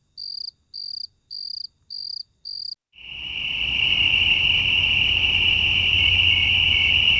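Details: Night crickets: five evenly spaced chirps at about one per second, then a loud, steady, continuous high trill takes over for the rest.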